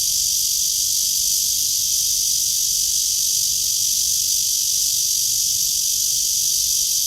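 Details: Tree cicada recorded on a stroll at 9:27 on 23 August 2020 with clear blue sky; a constant, piercing sizzling drone with no pauses, even in volume from start to finish.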